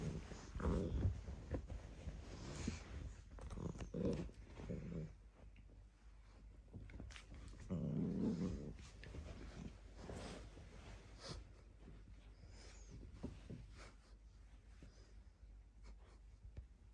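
A corgi puppy gives low, rumbling growls broken by short, gruff barks in a small room.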